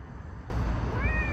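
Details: A cat gives a brief meow, a thin tonal note that holds steady and then eases slightly downward near the end, heard over a constant low rumble like passing traffic.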